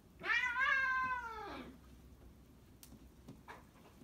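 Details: One-year-old Maine Coon cat playing with a four-month-old Newfoundland puppy gives a single drawn-out, wavering meow lasting about a second and a half, then near quiet with faint soft knocks.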